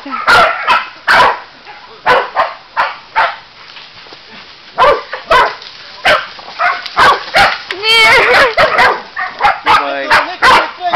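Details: Sealyham Terrier barking in Dobšiná, Slovakia: sharp, repeated barks in quick bursts about every half second, with a person speaking Slovak over the dog in between.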